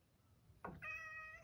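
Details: A male rescue cat meows indoors asking to be let outside; after a short thump comes one clear drawn-out meow, level then slightly falling.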